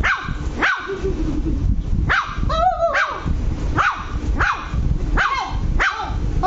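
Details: Lhasa Apso puppy Luci, angry, giving a steady run of high yappy barks roughly every 0.7 seconds, one stretched into a wavering whine near the middle, with low steady background hum.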